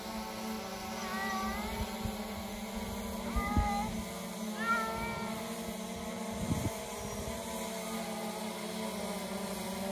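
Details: Cat near a kennel cat fence. Several thin, wavering meows, some rising, heard over a loud steady mechanical hum, with occasional knocks and clatter.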